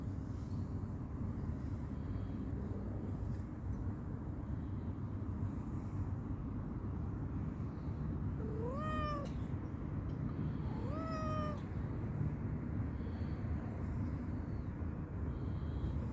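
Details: Calico cat, playful and hungry, utters two clear rising-then-falling meows about two seconds apart in the middle of the recording, with steady low-pitched background rumble throughout.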